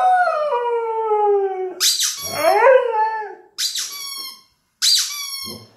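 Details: Indoor Siberian Husky sings along with a toy rubber chicken, giving a long, slowly falling howl that breaks into a wavering yelp, followed by three shrill squeaks from the toy chicken.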